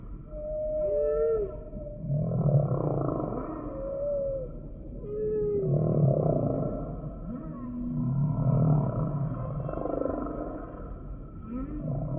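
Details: Humpback whale song: short rising and falling tonal whistles near mid pitch recur every couple of seconds over pulsing low moans and a steady underwater hum.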